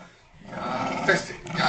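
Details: Two dogs, a Kooikerhondje and a Tibetan Terrier–Poodle mix, playing tug of war with a dog toy; a rough, low rumbling growl begins after half a second and swells, loudest near the end.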